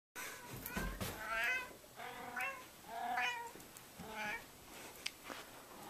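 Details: Fat domestic cat meowing to ask for food: a run of five or so harmonic, drawn-out meows, each about half a second long, spaced roughly every second, with a few sharp clicks between them.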